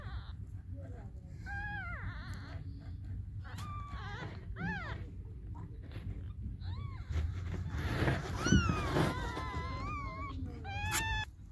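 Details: Hungry baby kittens meowing for their mother cat: several thin, high wavering mews, some rising then falling, come in irregular bursts over a steady low rumble of background noise.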